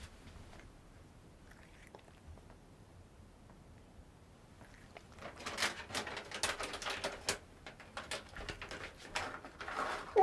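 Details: A cat crunching Dreamies cheese-flavoured dry treats indoors, heard as quiet then dense bursts of crisp crackling bites over the last five seconds, growing louder toward the end; no vocal sounds.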